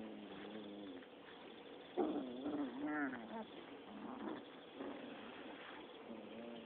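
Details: Six-week-old Rottweiler pups play-fighting, giving wavering harmonic growls and whiny yips in quick succession, a louder burst near the second mark, rough and repeated over a steady low hum.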